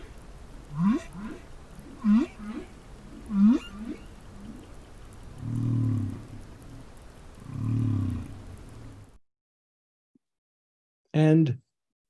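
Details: Humpback whale song excerpt recorded by a hydrophone on the seafloor: three repeated rising whoops about every 1.3 seconds, then two long low groans, a pause of silence, and a final loud rising cry.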